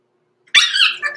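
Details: Six-week-old blenheim Cavalier King Charles Spaniel puppy, one of a small litter including Roman and Blue born November 14, 2022, in an indoor puppy pen overnight; a single sudden, high, strained whining yelp that wavers and trails off.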